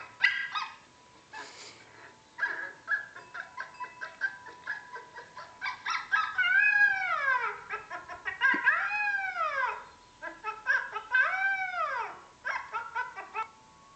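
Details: Korean Jindo named Woojoo, a female, reacting the first time she hears a puppy cry played on an iPad: arched, high whines that rise and then fall, repeated in a loose series, with short yips and chirps between them.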